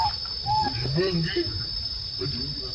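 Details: Baby monkey Lucie calling its mother Luna: two short, flat, whistled coos, followed by lower, rougher harmonic calls, over a steady high insect drone.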